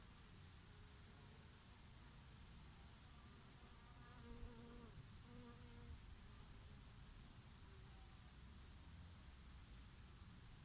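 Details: Bees grazing on flowering oregano in a summer breeze, with an occasional bumblebee. A constant low drone, with a nearer insect's wavering buzzing tone swelling and fading in the middle. Soft wind noise and faint distant chirps continue throughout.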